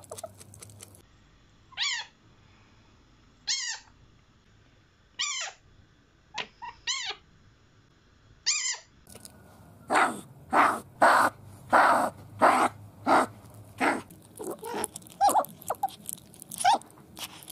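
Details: Sable calling: five short, bright, downward-sweeping chirps about a second and a half apart, then a quicker run of louder, rougher bursts in close succession.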